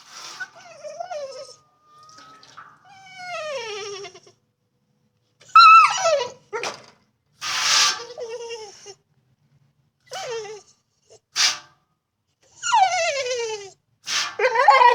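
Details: A female dog whines in distress with high, falling whimpers in short bursts, frustrated because she loves to chomp on water but can't get to it.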